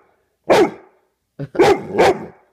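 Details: A Bullmastiff gives a morning wake-up bark to its owner: one deep, full bark, a pause, then a short yip followed by two heavy barks in quick succession.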